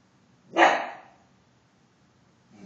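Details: Mingus, a pet dog, barks once to alert to an intruder, a deer in the backyard: one loud, harsh burst that fades over about half a second, followed by near silence.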